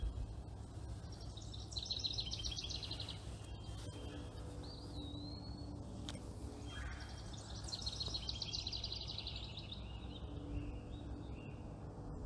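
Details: A baby chipmunk imitating its mother: two long bursts of quick, high, rattling chirps separated by several seconds, with a brief wavering whistle between, and a steady low drone of ambient noise throughout.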